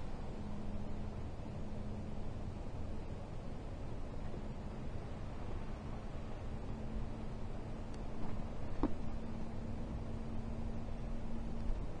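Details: A steady low electrical hum runs under faint background rumble, with a couple of brief clicks near the end and no animal voice.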